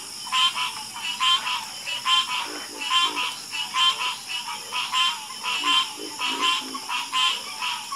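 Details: Calming frog chorus: overlapping croaks with a buzzy, pulsed texture rising and falling in loudness, lower throaty notes between them, steady high background drone.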